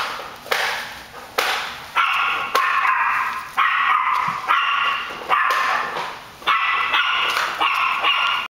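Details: Puppies at play in Sarasota, Florida, yapping in a rapid series of shrill, bright barks, several overlapping at once and coming in bursts roughly every half second to second, over a thin constant high-pitched background hiss.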